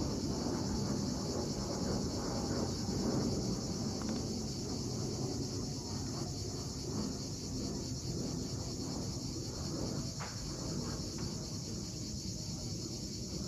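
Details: Cicadas calling at sunset on the steep coast of Cape Fiolent, Crimea: a steady, unbroken high buzzing drone runs throughout, over loud rumbling and washing sea waves below.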